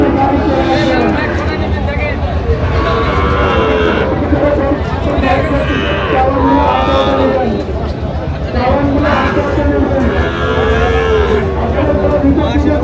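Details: Sahiwal bull calves, about five to six months old, at a busy cattle market in Chattogram, Bangladesh; several drawn-out lowing moos rise and fall among constant crowd chatter and bargaining voices.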